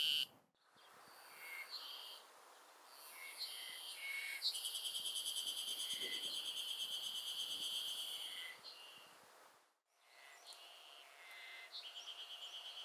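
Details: Ezo Haruzemi cicada (Terpnosia nigricosta) singing at the start of summer in the Hokkaido countryside, Japan: a loud, shrill, rapidly pulsed ringing chorus held for about four seconds, with other fainter calls before and after.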